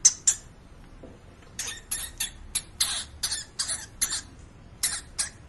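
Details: Domestic pet hamster indoors, producing a rapid string of brief, scratchy, high-pitched bursts, about a dozen in quick succession after a short pause, over low room noise.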